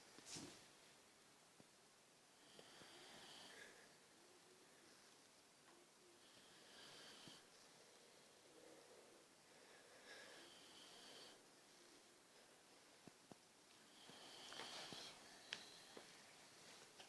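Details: A very tired pet boxer dog snoring indoors in a small room: soft, breathy rasping snores with airy hisses and occasional snorts, uneven in rhythm, quiet throughout with a louder stretch near the end.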